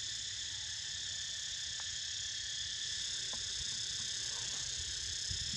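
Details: Cicadas droning as a pet sleeps, a constant high-pitched buzzy wash without breaks, with a few faint clicks and low background rumble underneath.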